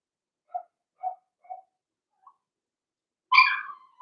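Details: Cavalier King Charles Spaniel puppies, blenheim-coloured, one of five littermates including Theo, Vienna and Rio, in their home pen: three quiet, evenly spaced yips, a tiny squeak, then one loud, sharp, harsh bark trailing into a whine.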